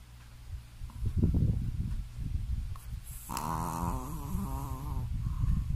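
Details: Shih Tzu named Smiley snoring very loudly while asleep indoors: low, rough rasping pulses for three seconds, then a drawn-out, nasal, harmonic-rich snore lasting nearly two seconds, followed by softer rumbling breaths.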